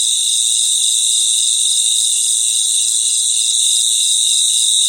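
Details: Crickets chorusing at night in their natural surroundings, a constant high-pitched ringing buzz made of many overlapping chirps, even in loudness from start to end, with no birds, voices or wind.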